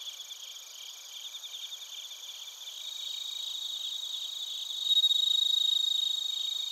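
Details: Crickets, bell crickets and field crickets, calling in Narita, Chiba, Japan, recorded on a TASCAM Portacapture X8: a nearby insect gives rhythmic pulsed chirps over a high ringing chorus, then a louder sustained trill swells in near the end.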